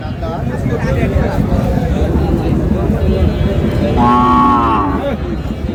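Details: Bony dairy cows at a busy Thursday cattle market in Raniganj, Dinajpur, Bangladesh: a steady hubbub of people, then one flat, sustained moo lasting about a second toward the end.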